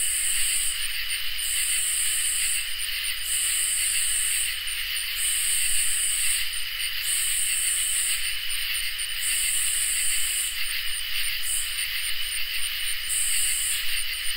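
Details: Katydids and crickets on a summer night: a constant high trilling bed with a sharper rasping series that starts and stops in irregular bursts of one to two seconds, often trailing off in clipped chirps.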